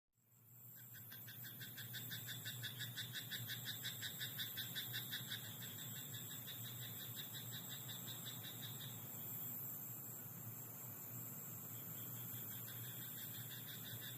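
A chorus of frogs calls at night from a rice paddy, with fast, buzzy pulsed croaks that stream on for several seconds before easing off. A constant low drone runs underneath throughout.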